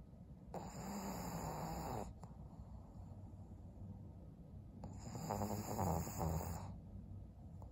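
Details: Senior female pug Maria, twelve years old and fawn-coated, asleep in Japan in December; two long snores, each lasting nearly two seconds, with a buzzing, gurgling rattle, separated by soft low breathing.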